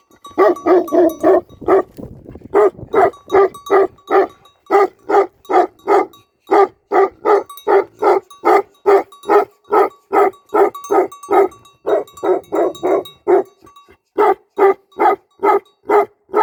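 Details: Tibetan Mastiff guarding a sheep farm in Nepal barks in long, rapid runs of loud harsh barks, roughly two to three per second, broken by brief pauses, with a faint steady hum underneath.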